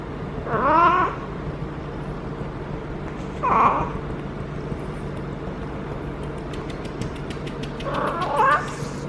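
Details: Feral female domestic cat in her first heat, caterwauling while being petted on the lower back: three drawn-out wavering yowls with rising and falling harmonics, about three seconds apart, over a steady low hum.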